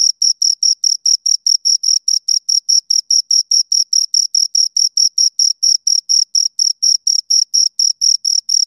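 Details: High, ringing chirps from two crickets, rubbing wings or legs together, repeated rapidly and evenly about four times a second with sharp gaps between, steady in loudness, no other sound present.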